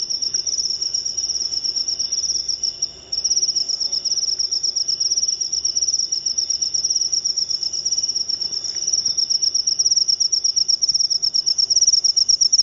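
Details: Shrill, rapid pulsed trill of a jangkrik upo cricket, running almost continuously apart from one brief break near the three-second mark before it resumes at the same high pitch.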